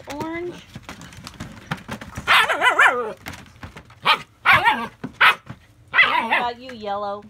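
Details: German Shepherd puppies, AKC registered, in north central Florida in July 2017: loud, high harmonic yelps and barks in bursts, then a long, sliding whine at the end, indoors.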